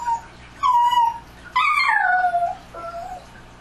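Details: Dogs heard at night: a loud drawn-out whine that falls in pitch, then a longer one that rises briefly and slides down, followed by a shorter, softer whine, all rich and tonal over a faint steady low hum.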